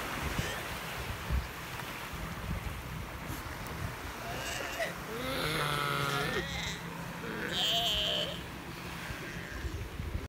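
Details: Galapagos sea lions on San Cristobal give loud, hoarse, bleating calls over the steady wash of surf.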